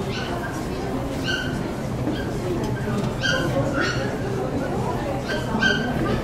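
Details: Poodles at the Saitama West Honey Poodle Club section show, 9 June 2008, among them Hyuma and Magic, who was too fascinated by other dogs to walk. High, sharp yips ring out singly every second or so over constant indoor crowd chatter.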